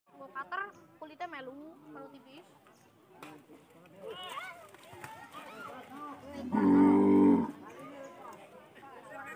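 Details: Large cattle at a mosque in Karang Sari, moments before slaughter for the Qurban sacrifice of Eid al-Adha; one long, loud, low moo lasting about a second late on, amid steady talking by people nearby.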